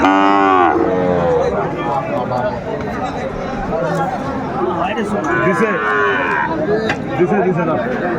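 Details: Sahiwal bull calves at a cattle market in Chattogram, 14 January 2025: a loud, harmonic bellowing moo opens, and a second moo comes around the fifth second, amid constant bargaining voices and crowd chatter.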